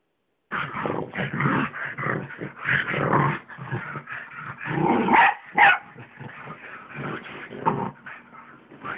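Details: Pet pug and mixed-breed dog playing together on a bed indoors at home: a steady run of short, rough growls and yips, several per second, with brief louder snarling bursts.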